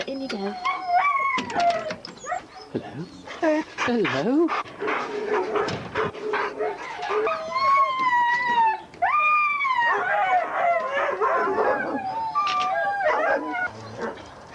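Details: Huskies at a sled dog race weekend in the Forest of Dean, England, November 2001, taped on VHS: several dogs give high, wavering howls, whines and yelps that rise and fall over one another almost without pause, with people talking among them.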